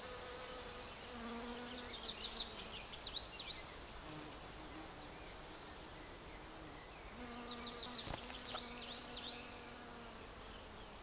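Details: Cockchafer buzzing among wild rose it is pollinating; a steady low hum with stacked overtones comes in two spells of about three seconds each, while high, rapid chirping bird trills sound over it.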